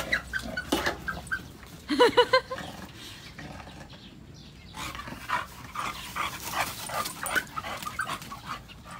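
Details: Chow Chow dog giving a short burst of high, whining yelps with clear harmonics near the two-second mark, among softer scattered whimpers and household noises.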